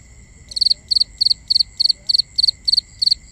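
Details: Night cricket chorus, recorded binaurally: nine sharp, high chirps of three or four fast pulses each, repeated about three times a second, over a constant thin high-pitched drone and soft low background noise.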